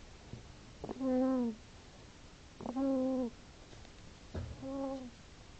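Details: Sleeping hedgehog snoring indoors: three drawn-out, tonal, slightly falling hums with clear overtones, each about half a second long, coming roughly every two seconds against a quiet room hiss.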